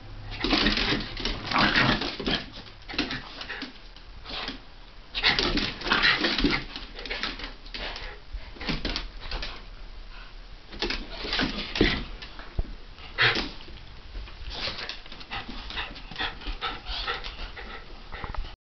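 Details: Two dogs, Havanese Monty and Jack Russell Calvie, wrestling playfully, January 2010: repeated noisy growling bursts, snorts and scuffles rise and fall over the whole stretch, with brief lulls between rounds.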